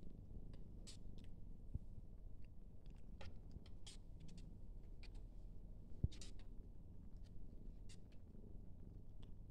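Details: A Siamese cat in Denmark purrs in a steady, deep rumble, with light clicking and rustling over it.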